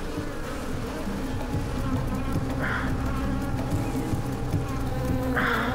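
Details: Many honey bees at a wild comb, being smoked as a man reaches for their honey, give a dense low droning hum that grows agitated as they are disturbed.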